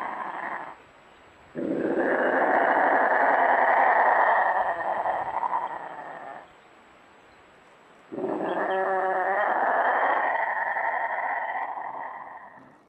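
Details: Lynx, also called wild cat, during mating; long harsh wavering yowls and growling cries in two drawn-out bouts of about five seconds each, separated by a short pause, with a rapid throbbing pulse at the start of the second bout.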